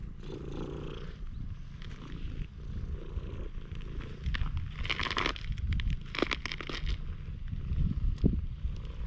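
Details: Stray cat met by chance in a parking lot in Japan, opening up to a person; steady low rumbling purr throughout, with scattered crackling and rustling handling noises over it.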